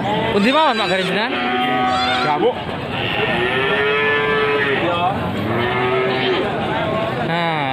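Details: Cattle at Pasar Wage livestock market in Panggul, Trenggalek, Indonesia: a series of drawn-out, wavering moos, rising and falling in pitch, with a steady long low call in the middle, over constant market chatter and crowd noise.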